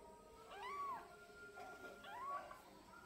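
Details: Twelve-day-old kitten mewing: two thin, arched meows, each rising and then falling, about a second apart, over a steady faint background hum.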